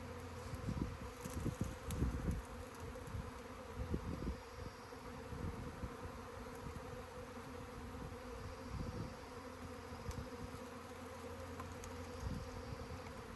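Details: A swarm of honey bees gives a sustained droning buzz. Irregular knocks and rustles sound now and then, mostly early on.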